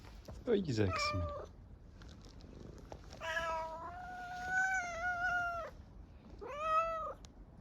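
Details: Hungry stray cat on an Istanbul street meowing for food in an unusual voice: a long drawn-out wavering meow lasting over two seconds, then a shorter arched meow, with a brief woman's voice at the start.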